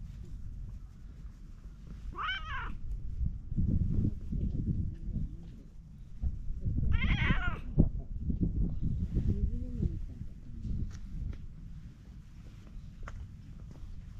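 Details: Ginger tabby cat found beside a pond, meowing while happily being petted. Two drawn-out, wavering meows about five seconds apart, with steady low rumbling handling noise and rustling between them.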